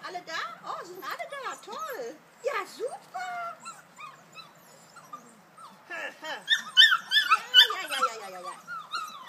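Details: Kuvasz puppies aged 5.75 weeks, out on their first walk to the large meadow enclosure. Scattered arched whimpers and squeaks from several pups, a burst of louder yelps near the end, and human talk mixed in.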